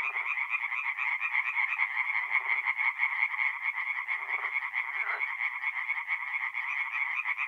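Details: Chorus of many tree frogs at a forest pond by night, mid-April, north-east Italy; fast rattling croaks stack into an unbroken nasal din, joined now and then by short deeper croaks.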